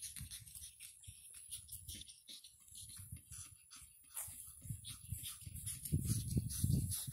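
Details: Nine-week-old pug puppies play in Cheyenne, Wyoming, making uneven low snorts, wheezy grunts and scuffles several times a second, with light metallic jingling; the scuffling grows louder toward the end.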